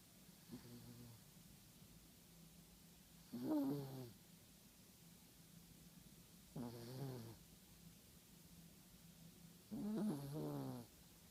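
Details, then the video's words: A sleeping Yorkshire Terrier snores softly, each rasping, buzzy breath lasting about a second and coming roughly every three seconds in a quiet room. "Snoring Yorkie"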